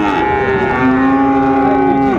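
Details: Friesian or cross-breed bull calf at the Raniganj cattle market in Dinajpur, recorded 2/1/25 during buying and selling; one steady, drawn-out moo lasting about two seconds that drops slightly in pitch at the end, with market murmur behind.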